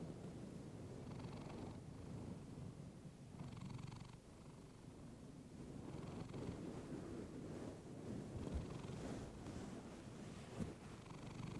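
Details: Close-miked purring of a female pet cat through a fluffy microphone: a steady deep rumble broken by airy inhale phases roughly every two to three seconds, with one faint click late on.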